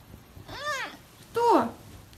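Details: Male pet serval giving two short arched meows, the second louder and sliding downward, while a person speaks to him in Russian nearby.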